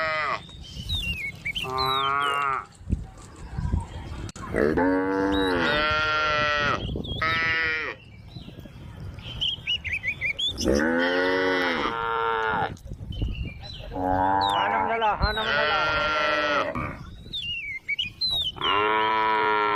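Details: Tame cows in a grass field with a calf, a female calling repeatedly: a series of six or so drawn-out moos, some wavering and rising, separated by short gaps, with bird chirps and whistles between them.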